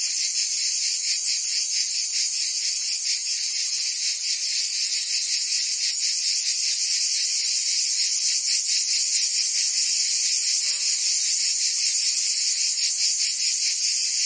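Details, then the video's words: Many cicadas singing in summer heat in Provence, France, forming a constant shrill buzzing wall with rhythmic pulses about two or three per second; a faint short lower call appears briefly around the middle. "Cicadas singing in France (Provence)"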